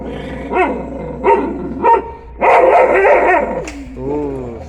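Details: Sivas Kangal puppy struggling with a bone: three short, sharp harmonic yelps a moment apart, then a longer rough, grumbling growl-bark burst, followed by a softer wavering tone, with a man talking in Turkish nearby.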